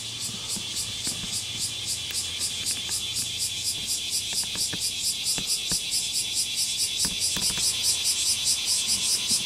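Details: Cicadas calling all at once on Mount Takatori, 19 July 2015, recorded with a telephoto microphone: a dense high buzzing chorus pulsing in rapid regular beats, with faint low rumbling beneath.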